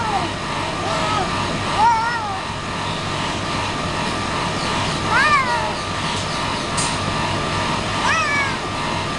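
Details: Domestic pet cat meowing repeatedly: a quick cluster of arched, bending cries near the start, then two stronger wavering meows later, set against constant engine-like hum and faint human voices.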